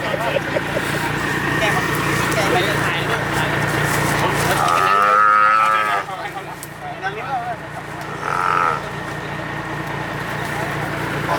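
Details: One of ten donated cows from a cow bank project in Hua Hin, Prachuap Khiri Khan, Thailand, 8 July 2023, being restrained and tied. A single short moo rises out of steady crowd noise and voices midway through.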